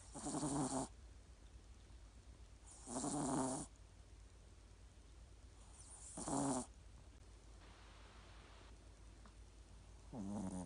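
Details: Sleeping Yorkshire Terrier snoring heavily despite its small size; four rasping, harmonic snores of under a second each, repeated roughly every three seconds, with low background hiss between them.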